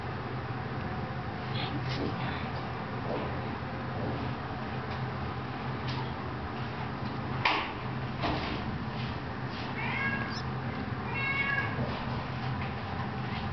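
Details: Kittens 18 days old, filmed on 24 February 2009, give a few short, high, harmonic mews late in the recording over a steady low hum and scattered rustling clicks.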